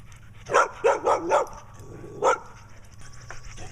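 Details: Barking like crazy, a female dog with black eye patches comes back again while yard weeding goes on; a quick run of four sharp barks, a gap, then one more bark.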